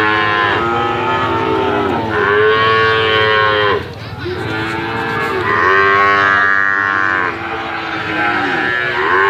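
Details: Brahman and Limousin calves mooing loudly, several overlapping drawn-out harmonic calls that swoop and waver, one after another with short gaps, nearly continuous calling.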